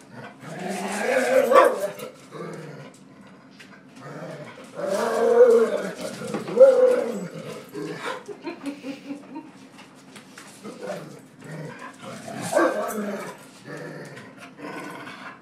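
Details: Angry dog that dislikes being pushed around gives rumbling growls rising into short harsh barks around five and thirteen seconds, while a man talks soothingly between outbursts.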